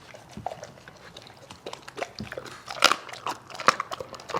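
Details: Dog eating greedily, with irregular crisp crunches and wet bites about once a second. The bites grow louder and sharper toward the end, over a faint background hiss.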